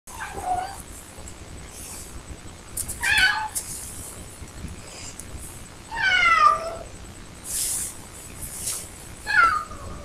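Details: Ricky, an adult cat sitting at the door wanting to be let out, meows in the background: four falling, drawn-out meows spaced roughly three seconds apart, with soft rustles and brief clicks in between.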